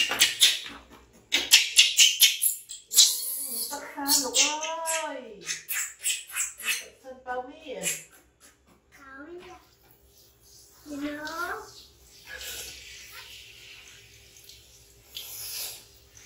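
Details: Infant monkey Bean, found in the jungle without a mother and taken in by villagers, screams loudly at its mom, wanting a hug while she tries to clean it: loud, arching, wavering wails in bursts, with rustling and handling noise at the start.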